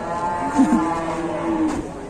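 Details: Jumbo cattle assembled at an Indonesian market: a short moo with a brief dip in pitch, then a sustained level lowing tone before it trails off, with murmur of people behind.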